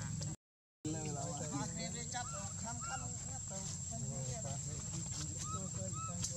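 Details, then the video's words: Lucie, a baby monkey whose mother Luna left, cries almost nonstop in quick, rising-and-falling whimpering wails rich in harmonics, tumbling over one another, with a short silent gap near the start and a low background hum throughout. "Poor adorable Lucie crying so pity lost mother"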